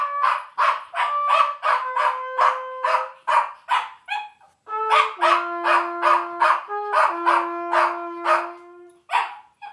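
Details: Podengo singing along to trumpet playing: long sustained, slightly wavering howled tones that shift down in pitch, mixed with short brassy trumpet blasts repeated about two to three per second, with a brief pause midway.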